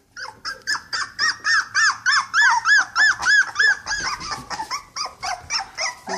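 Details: Cocker Spaniel puppies on their first trip outdoors give steady, rapidly repeated high whimpers, each an arched rising-falling cry, about three per second, loud and close.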